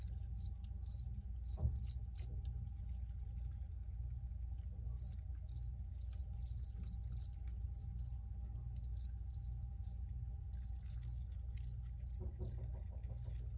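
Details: Recorded crickets chirp in clustered runs of short high pulses, a pause in the middle, then a dense stretch of rapid chirps, with a faint steady low drone beneath.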